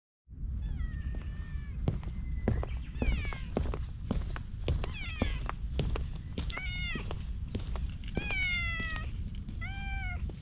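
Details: Stray cat, filmed on a GoPro HERO8, rubbing against someone and wriggling as if breakdancing. Repeated short, slightly rising meows come every second or so, mixed with many sharp thumps and rustles from its rubbing and rolling.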